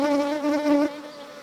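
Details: In spring in the Kashmir Valley on 25 April 2022, Indian honey bees (Apis cerana indica) bustle at a hive entrance. Their steady, droning wing buzz swells and fades as they fly past.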